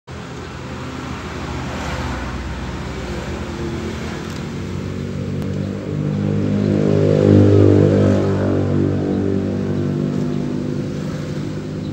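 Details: A car engine hums steadily and then swells as it revs and accelerates around the middle, with faint outdoor traffic noise; no animal calls are audible.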